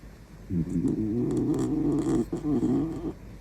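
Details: Shiba Inu puppy snoring indoors at midnight, loud enough to wake its owner; a steady, low, rumbling buzz of rough breaths lasting about two and a half seconds, with one brief break partway through, in a quiet small room.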